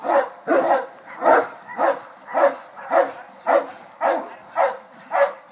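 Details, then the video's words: Muzzled Boerboels, a pair confronting an intruder, give steady, evenly spaced heavy barks, about ten in under six seconds, each a short harsh burst. "2 boerboels stopped the intruder"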